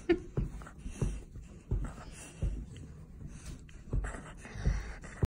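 A Golden Retriever makes low, breathy huffs and pants, roughly one every second, asking to be petted.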